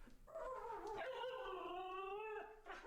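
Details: Pet Siberian Husky vocalizing, presumably hungry and seeking affection: a single drawn-out, wavering howl-whine that starts lower, climbs, then holds a long harmonic-rich tone that slowly sinks before fading.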